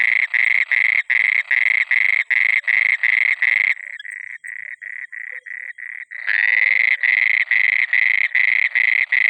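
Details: Frog croaking at night, a loud rapid series of harsh pulsed croaks around three per second, pausing briefly into softer, shorter notes midway before resuming at full strength.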